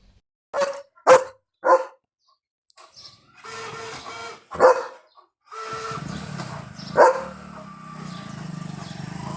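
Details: Leo, a pet German Shepherd, runs fast and barks after spotting a dog outside his yard. Three sharp barks come in quick succession, then two more spaced barks, with human voices and a steady background hum between them.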